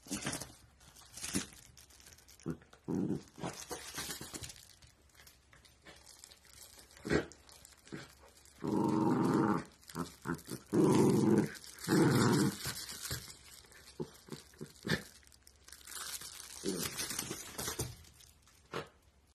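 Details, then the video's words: Playful miniature dachshund producing rough, noisy growling bursts, two long ones in the middle and scattered shorter ones, mixed with scuffling and tearing sounds of play indoors. "Funny Miniature Dachshund NONSTOP playful"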